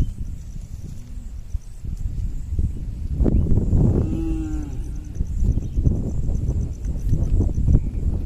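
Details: A tame herd of cattle returning to its pen across a small bridge; one drawn-out moo midway, nearly masked by loud clattering hooves and low rumble throughout.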